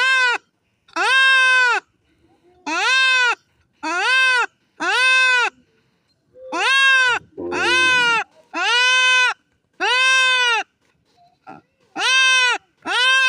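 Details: Goat bleating while being castrated: loud, harsh, wavering bleats about a second long, repeated roughly every second with short gaps, plus a brief clatter of handling noise midway.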